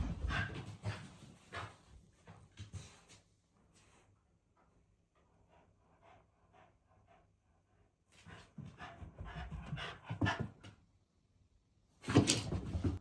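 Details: Female Shiba Inu named Haru, happy on learning her brother will stay the night; bursts of quick excited panting with a quiet gap between, ending in a loud breathy outburst indoors.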